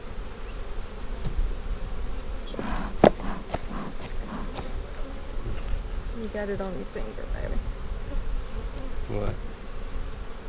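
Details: Low colony hum from a honey bee split made March 4, opened for inspection on April 15, 2017. The deep, even drone runs throughout, with faint human voices near the sixth and ninth seconds.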